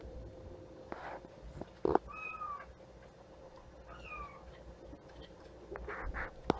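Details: Playful young kittens indoors; two clear, thin meows that slide downward, spaced about two seconds apart, amid soft taps, brief knocks and a constant background hum.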